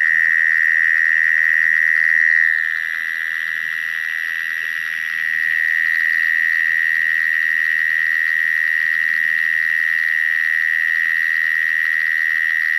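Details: Mole crickets singing in a back garden in Canberra, Australia, in March 2011: a steady, unbroken high buzzing trill that softens briefly after two seconds and then returns to full strength.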